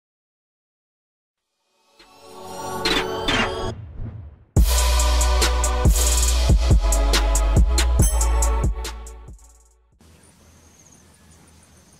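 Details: Silence gives way to drum-heavy music with a pounding bass beat and crashing cymbals, which then stops and leaves faint hiss; no animal sound is heard.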